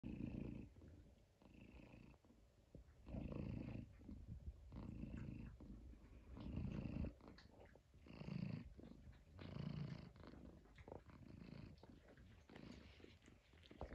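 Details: Tabby cat purring loudly, a low, rumbling purr that swells and fades in rhythmic waves roughly every one to one and a half seconds, steady throughout a quiet room.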